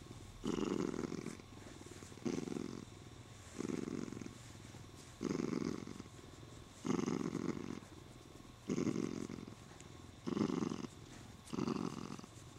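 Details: A happy Siamese cat being stroked purrs loudly and steadily, the rumble swelling and fading with each breath, while he holds onto his owner's arm.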